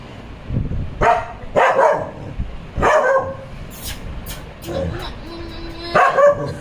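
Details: Pet dog reacting to a cat toy: harsh barks spaced about a second apart, mixed with Tamil speech and a child's voice, then a steady tone and one final bark.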